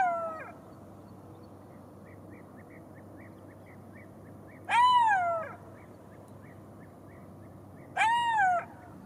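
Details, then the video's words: Golden jackal giving loud, harmonic wailing howls that rise then slide downward, each under a second long, two heard about three seconds apart after a fading opening note, with faint short chirps in the background. "Golden Jackal sound call / תן מילל"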